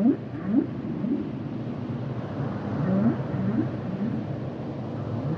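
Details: Humpback whale song heard through heavy low underwater noise: faint short rising chirps repeated roughly every half second to second, with a soft moan in between.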